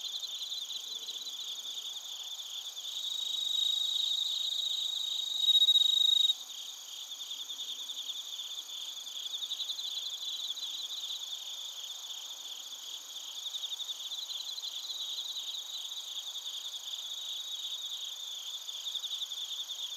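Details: Bell crickets and other crickets recorded in Narita, Chiba, Japan, on a TASCAM Portacapture X8: a dense, high, pulsing chorus, with a brighter, steadier ringing note swelling between three and six seconds before falling back to the even trill.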